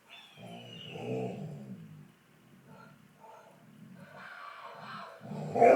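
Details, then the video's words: Dexter, a 10-month-old fox red Labrador Retriever puppy, talks back to an animal-sound toy indoors. Low, throaty, growl-like howling comes in several short bursts, and a high descending electronic toy tone sounds early on. "Dexter howling at this toy that makes sounds!!!"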